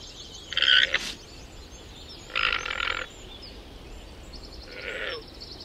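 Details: Domesticated llama, a South American camelid: three harsh, nasal, buzzy calls, each about half a second long, spaced roughly two seconds apart, the last one fainter, over steady background hiss.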